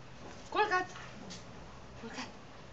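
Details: Fluffy, a seven-month-old Yorkshire Terrier, performing simple tricks on command indoors; one short, high, tonal yip rises and falls near the start, followed by quieter sounds and a woman's voice giving commands in Romanian.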